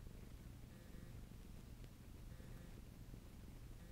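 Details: Pet cat named Bob kneading ("making muffins") inside, giving a continuous deep pulsing purr with no breaks, one brief faint tick near the middle, over a soft background hiss.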